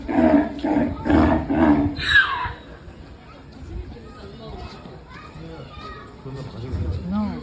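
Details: Zebra, described as very excited and watched from above, gives a loud run of harsh, barking honks about every half second, ending in a higher squealing note, then quieter human voices chatter in the background.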